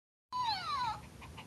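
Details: Pomeranian giving one drawn-out whine of about half a second, a clear, slightly falling tone with strong overtones, followed by a brief quiet tail of room sound.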